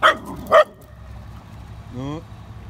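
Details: Pet dogs, a Dachshund facing a Great Dane: two quick sharp barks half a second apart, then a short low whine-like tonal sound at the end over a steady low hum.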